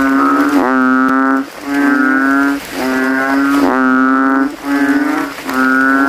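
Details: Rival male banded bullfrogs bellow from a rain puddle in a cemetery at night, inflating their throats: a string of resonant, buzzy lowing notes, each under a second, following one another closely, with one sharp click.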